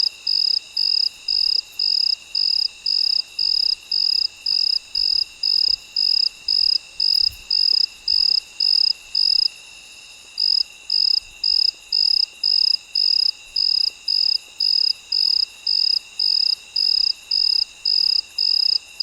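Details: A cricket sings at midnight: a long, steady series of high, rasping chirps, close to two per second, with one brief pause near the middle, set against a continuous quiet chorus of distant night insects.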